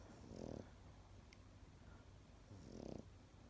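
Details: Pekingese asleep, giving two throaty, vibrating snores about two and a half seconds apart, each short and buzzy, separated by a quiet low background hum.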